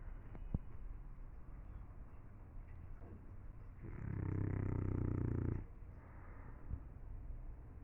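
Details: One loud, droning snore from a sleeping English Bulldog lasts almost two seconds. It has a deep rattling buzz and is set against soft, steady breathing noise.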